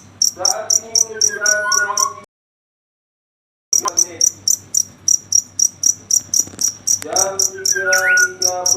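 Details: Night-time cricket chirps, sharp high-pitched pulses repeating roughly four times a second after a brief silent break, with lower tonal voice-like sounds overlapping near the start and end.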